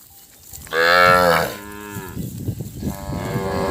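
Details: Calves bawl loudly in long, wavering moos, crying together for their mothers, who are far away. The cattle are being herded onto a road past harvested rice fields with baled straw on a Thai farm.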